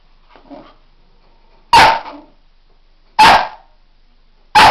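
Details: Pet dog barking in three sharp, loud, harsh barks roughly a second and a half apart, after a soft faint sound at the start; otherwise quiet.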